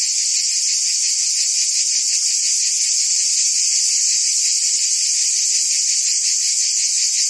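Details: Tree cicadas in a forest keep up a constant high buzzing drone, pulsed about 162 times a minute, even and uninterrupted.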